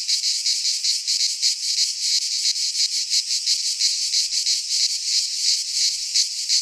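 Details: Cicadas singing in midsummer in a Greek pine forest: a dense, continuous buzzing chorus, high and hissy, pulsing roughly three times a second with steady loudness, and no other sounds.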